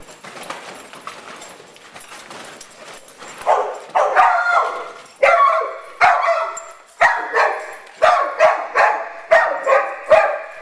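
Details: Big dogs at play at Double Dog Day Care indoor dog park, darting through an agility tunnel; after quiet scuffling, loud mid-pitched barks start near four seconds and repeat in quick bursts, roughly one per second, to the end.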